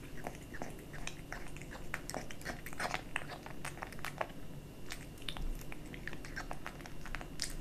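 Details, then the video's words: A small kitten munches dry and wet cat food; crisp, irregular crunches and wet chewing clicks cluster in short runs, set against a faint constant indoor hum. "Kitten eating Dry & Wet cat food ASMR"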